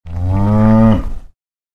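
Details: A single cow gives one deep, steady moo lasting just over a second, rich in even harmonics and slightly rising in strength before breaking off abruptly into silence.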